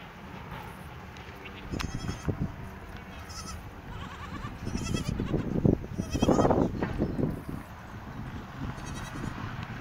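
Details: Goats in a village in the morning, led out of the shed to pasture, bleating repeatedly in wavering, harmonic calls that overlap and swell in the middle, with shuffling footsteps and rustling around them.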